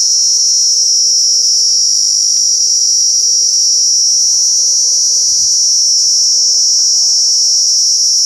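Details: A male Indian cicada gives a loud, continuous high-pitched buzzing drone that holds steady throughout.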